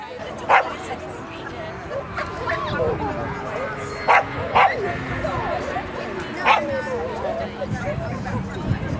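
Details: Border Collie at a Border Collie Club of GB Graded 1-4 Jumping agility competition, Newark Showground, 21 March 2010; a few sharp single barks stand out over steady crowd chatter and background voices.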